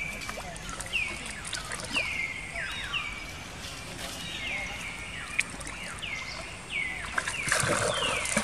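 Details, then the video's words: Female baby monkey Jinx cries after an attack by the monkey Spring, giving piercing falling squeals, roughly four a second, each dropping sharply from a high start, with light rustling underneath. "Poor Baby Monkey Jinx Was Attacking By Spring Monkey, She Crying Seizure"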